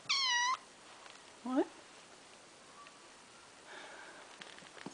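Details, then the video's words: Caged indoor cat named Little Boy, kept apart for special food during illness, asking for dinner: one clear steady half-second meow, then a short lower rising mew, followed by quiet faint rustling. "Kitty Wants his dinner."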